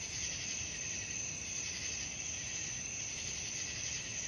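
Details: Night cricket chorus meant as a sleep aid: a steady, dense high-pitched shimmer of trilling with no break, a faint low rumble underneath.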